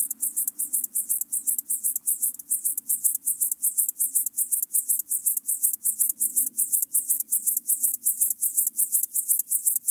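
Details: Chorthippus apricarius grasshopper at Moosham, Austria, on 9 October 2020, pulsed high rasping song with rapid regular chirps, about 162 per minute, with a faint low hum beneath.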